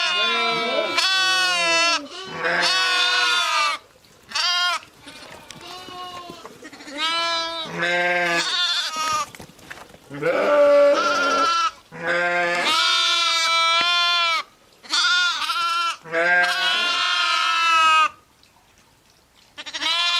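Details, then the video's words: A flock of sheep, ewes and lambs, calling busily: repeated harmonic bleats of varied pitch and length, some deeper and some higher, follow one another with brief pauses and occasional overlaps before a quiet end. "SOUNDS OF SHEEP AND LAMBS"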